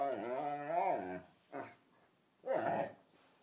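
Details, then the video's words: Dog playing bitey-face with another dog, serenading it with a whale-like song: a long, wavering, nasal whine that dips and rises over about a second, then two shorter moaning yelps after brief pauses. "Nanook's ridiculous whale song"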